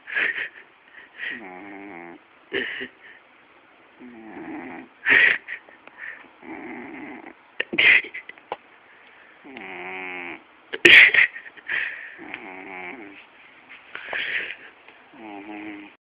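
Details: Sleeping domestic cat snoring loudly, said to sound like a human: rough, buzzy breaths about every one to two seconds, alternating lower rattling inhales with higher hissing exhales, with a few sharp louder snorts.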